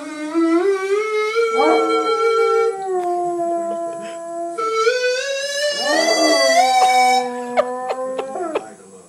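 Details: Basset Hound singing indoors, matching the octaves of a vocal cord test playing in the background: long wavering harmonic howls that slide upward, hold, then dip and rise again, with steady electronic test tones underneath.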